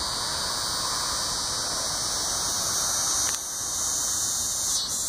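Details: Neotibicen latifasciatus, the coastal scissor grinder, recorded calling at Sea Isle City, New Jersey, August 20, 2016: intense continuous shrill buzz at a constant pitch, dipping briefly in loudness midway before resuming.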